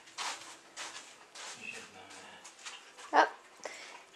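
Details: Pet dog playing with a new puppy: a string of short, scratchy bursts about once a second, then one sharp, louder yelp-like note near the end, with faint human voices in the background.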